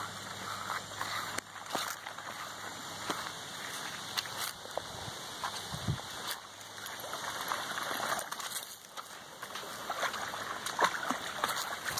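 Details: Water trickles and splashes steadily outdoors in a rural setting, with faint rustling and scattered clicks but no animal voice.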